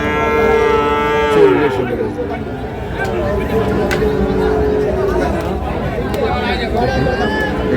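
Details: Holstein Friesian bull suited for farming, offered at Ambari cattle market in Parbatipur, Dinajpur, on 20/8/2026; one loud, harmonic-rich moo held steady for over a second, then sliding downward, over a backdrop of crowd chatter and market noise.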